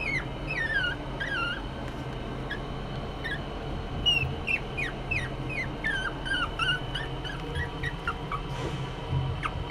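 A Chihuahua puppy whines in quick, squeaky falling notes, some doubled, repeated every half second or so. A constant low background hum runs underneath throughout.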